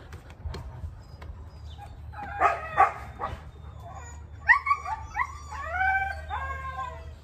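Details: A husky vocalizing: soft scattered sounds at first, then a couple of sharp barks, followed by a series of rising and falling whining howls near the end, with a low background hum.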